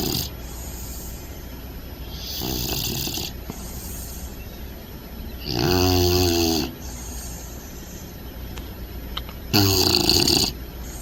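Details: Bentley, a Bulldog puppy some months older than in earlier footage, sleeping upside down and snug, snores and snorts: long rasping, buzzy snores roughly every three to four seconds, each with a broad hissing top and a deep rattling base, quiet breathing between.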